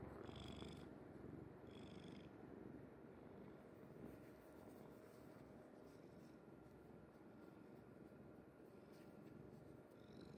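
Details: Sleeping house cat Kuri on its mother's bed, a low purr rumbling under faint room noise, with two breathy purring cycles clearest at the start before the sound settles into a soft, even drone.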